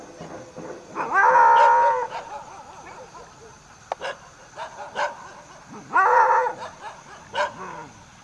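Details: Striped hyena at Trimbakeshwar, Nasik district: two drawn-out, wavering harmonic calls, each about a second long and separated by several seconds, with scattered clicks and knocks between them.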